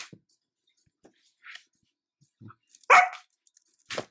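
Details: Female Sheepadoodle puppy, an Old English Sheepdog crossed with a Standard Poodle, wanting attention. A single loud, sharp bark near the middle, then a softer clipped sound, with faint soft noises in a quiet room.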